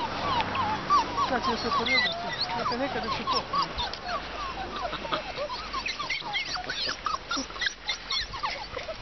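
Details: Dogo Argentino puppies, 42 days old, from the Galla de Indios Latinos x Pangare de la Catorce litter: a busy chorus of high, rising and falling whines and yips from several pups overlapping, with soft background noise.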